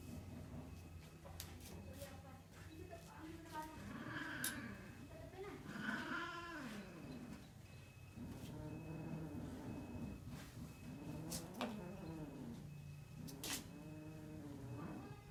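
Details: Domestic cats during mating, giving a series of low, drawn-out yowls that arch up and fall back, repeated several times with short gaps, some louder and strained; faint human speech and handling noises in the background.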